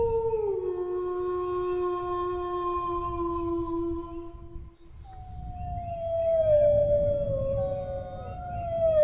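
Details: Dog giving long, drawn-out howls: a sustained level tone held for about four seconds, a brief break, then a higher howl that slowly sags in pitch and rises again at the end. Low rumble underneath.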